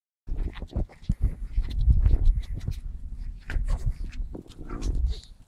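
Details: Pet French Bulldog Noah doing his famous circle dance, perhaps scratching an itchy spot. Low, rumbling snorts and grunting breaths come in uneven bursts, mixed with scuffing and rubbing clicks.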